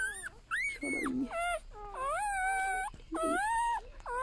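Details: A golden retriever newborn from a litter of eight cries steadily. Its sustained, slightly wavering whines run close together, and bursts of soft, breathy squeaks break in between them.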